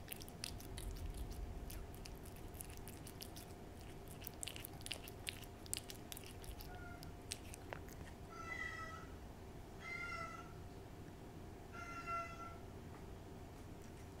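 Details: Domestic cat licking and eating a Ciao Churu treat: quick wet clicking and smacking for about seven seconds, then a pause and three short, clear meows spaced about two seconds apart.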